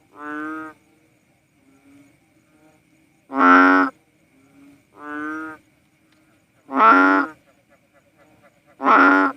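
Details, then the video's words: Philippine banded bullfrog, called cowsound frog, giving deep, nasal, moo-like calls about half a second long, a louder and a softer voice alternating roughly every one to two seconds, with faint low grunts between. "Sounds of a Philippine Banded Bullfrog | Cowsound frog"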